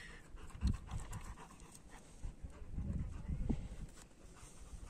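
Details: Long-haired German Shepherd pair named Hash and Janney; soft, low, breathy panting in short irregular bursts, quiet overall with faint background rustle.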